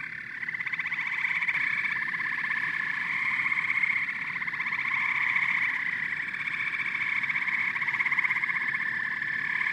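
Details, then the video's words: Frogs and toads calling together in a dense, unbroken chorus of fast pulsed croaks and high chirping trills, several voices overlapping in steady bands with no pauses. "Frogs and Toads Symphony"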